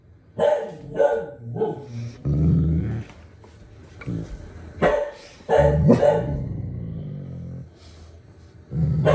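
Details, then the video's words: Pet Great Danes reacting to dogs barking on television: sharp barks in two bursts of three, spaced about half a second apart, between low rumbling growls, with background music and a person's voice. "Silly Great Danes React to Dogs Barking on TV"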